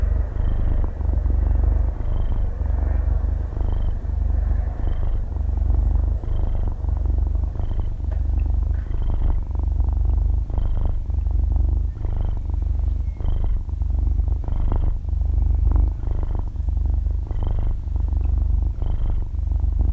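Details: Sleeping six-month-old kitten, belly-up and stretching its paws, purring loudly in a close-miked binaural recording; a continuous low motor-like rumble pulses with its breathing, with faint soft ticks over the top.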